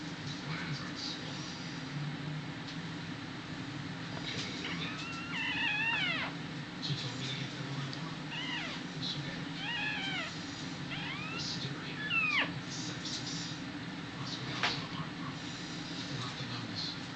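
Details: Miniature dachshund giving birth on a Sunday evening, April 19, 2009, to the last of five puppies, which was stuck and pulled out. High, squeaky, bending whines come in short bursts between four and thirteen seconds, over background music and a steady low hum.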